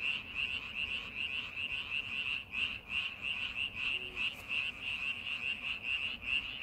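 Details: Chorus of frogs in a paddy field readied for farming season, rapid high trilling pulses stacked closely together, uneven rhythm, continuous overlapping voices over low background noise.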